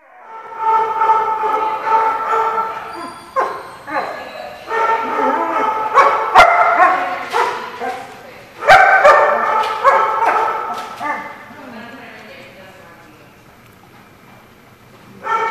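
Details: Dogs barking, recorded 6/1/15: strong, harmonic, drawn-out barking and yowling in bursts with sharp clicks, fading to quiet near the end before one more burst.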